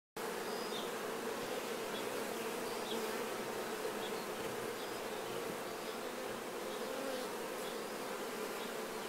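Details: Honey bees cleaning themselves of nectar while honey is harvested: a dense, steady swarm hum centred low-mid, with overlapping wingbeat drones and faint brief higher buzzes of individual bees passing close.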